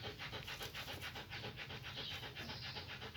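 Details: Quick, regular panting from German Shepherds while the puppies scramble to their mother to suckle, airy puffs repeating almost four times a second over a low steady hum.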